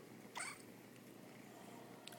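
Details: A kitten's morning yell as she greets a new day: a single brief, high, bright meow lasting about a quarter second, over a steady indoor hum with no other sounds.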